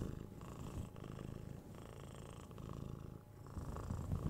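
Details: A steady, low purr from six-month-old kitten Tora during cuddles and head scratches, a deep rumble with gentle swells and faint handling sounds.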